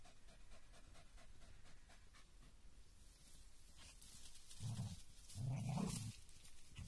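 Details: German Hunting Terrier fighting a raccoon dog that keeps playing dead: steady rapid panting about four times a second, then two loud, low, rough growling bursts in the last seconds over a noisy outdoor background.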